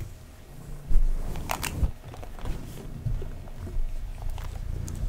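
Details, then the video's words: A pet cat purring while being brushed indoors in a small room: a steady low rumbling purr throughout, overlaid by soft scratchy brushing strokes and occasional brief crackles and taps. "ASMR Kitty Tingles (Purring, Brushing)"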